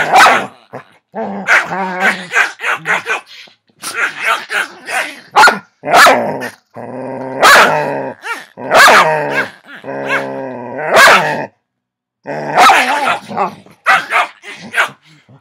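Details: Pet dogs Noah and Avery play-wrestling on a Saturday afternoon: continuous rough growling and snarling with sharp barks, bursts every second or so, one short silence near the end; a woman's voice briefly mixed in.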